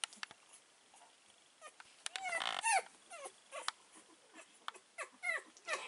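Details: Four-week-old male Staffordshire Bull Terrier puppy, number four of a litter, filmed on 14 September 2020: thin, high whimpers and short bent yelps scattered through six seconds, bunched loudest near the middle, over a faint hiss.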